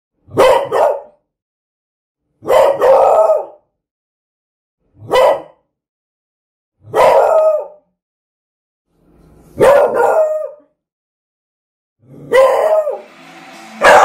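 A beagle gives loud, harsh barks, some drawn out into baying howls, roughly every two seconds.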